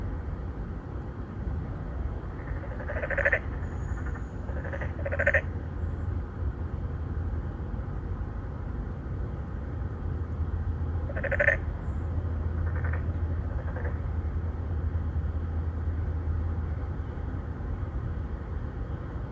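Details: Three or four narrow-mouthed frogs calling at an apartment-complex pond in Songdo, Incheon, Korea, in 2019, males courting females; recorded on a Galaxy Note 9. Two bursts of nasal, pulsed croaks, some overlapping, over a steady low traffic-like rumble.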